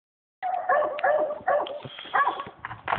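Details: Dog barking at a squirrel trapped in a tree, recorded on a phone: a run of rough, hoarse, rapid barks and yips in quick bursts with little pause between them.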